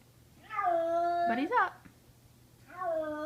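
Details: Kitten crying in fear after being taken upstairs in summer 2014: one long steady wail ending in a choked break, a pause, then another sustained harmonic cry, in a small quiet room.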